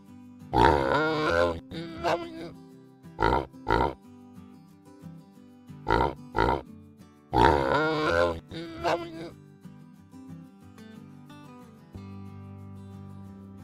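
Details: Farm pig giving a run of short, harsh grunts and squeals in bursts spaced a second or two apart, with a longer noisy squeal twice, set against continuous background music.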